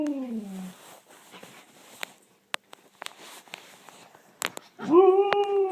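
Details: Pet dog howling or "singing" on command indoors, one of several household dogs: a short falling whine opens, then a loud, steady, rising howl, with scattered clicks and taps in between.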